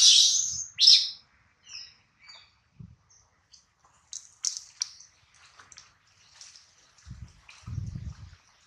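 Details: Baby monkey Adler, missing his mother and hungry, cries while held by a small monkey. Two loud, shrill, squealing cries open the clip, followed by fainter, scattered high squeaks and a few low thumps near the end.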